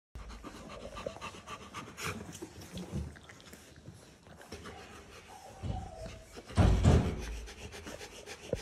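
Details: A Rottweiler mother pants steadily, several quick breaths each second in a loose rhythm. Toward the end comes a louder, breathy huff or snort, amid faint background rustling.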